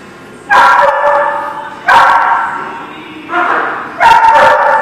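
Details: Dogs barking at a kennel or dog facility, recorded 2 February 2019: four loud, harmonic barks with slight howling tails, spaced about 1.3 seconds apart, over a faint background.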